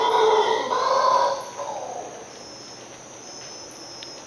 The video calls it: Sounds of the Howler Monkey 3